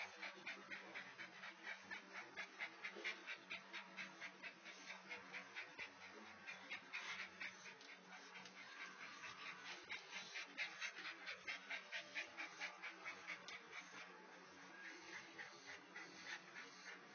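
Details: Great Dane being sexually harassed, heard panting in fast, fairly steady breaths, about two per second, with a faint low hum and background hiss throughout.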